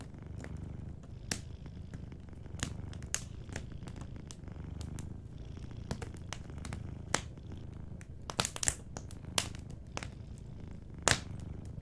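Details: Soft continuous purring from a sleeping cat, low and evenly pulsed, beneath frequent crisp fireplace crackles, with a burst of snapping near the end.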